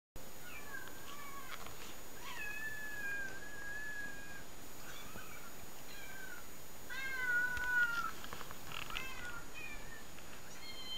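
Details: Domestic cats meowing from a compilation played indoors for a pet cat to watch; a string of clear, harmonic meows, several falling or wavering in pitch, following one another every second or so, with a faint steady high tone behind.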